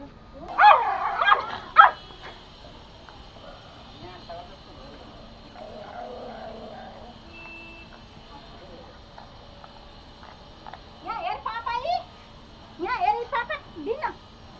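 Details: Angry, attacking Pomo, a male toy Pomeranian pet in Kathmandu, Nepal: a burst of shrill barks at the start, a long quiet stretch with faint murmurs, then two clusters of rapid high yips near the end.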